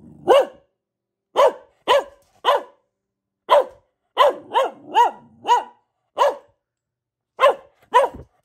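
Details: Pet Boxer, a female, barking repeatedly indoors; single sharp barks spaced about a second apart, a faster run of four in the middle, then a pause and a final pair.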